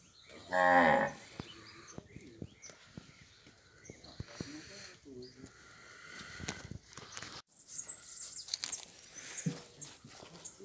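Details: Nelore cattle, a herd of cows that have calved or are pregnant, near Ribeirão Preto in São Paulo state, Brazil: a short, loud, rich moo near the start, followed by rustling, clattering farm noise and a faint lowing call later.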